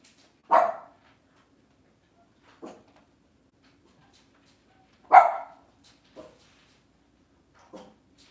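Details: Cavalier King Charles Spaniel indoors on a kitchen camera on a cloudy Monday morning, giving two loud, sharp barks about four and a half seconds apart, each followed by softer, shorter barks in an otherwise quiet room.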